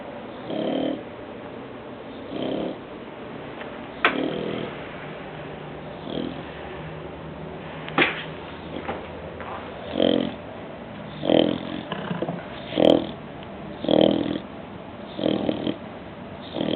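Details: A bulldog snoring while awake, indoors in a small room: rough, snorting bursts roughly every one to two seconds, becoming louder and more regular toward the end, with a few sharp clicks between them.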